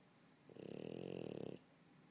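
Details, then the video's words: French Bulldog snoring while asleep on a couch: one rattling, vibrating breath of about a second, with a fluttering buzz, set against a quiet indoor background. "french bulldog snoring"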